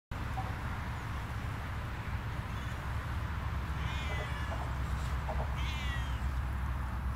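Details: Siamese cats Otani and Yozora on an off-leash walk through a darkening, gloomy forest; two short, faint rising-falling meows near the end, over a steady low rumble.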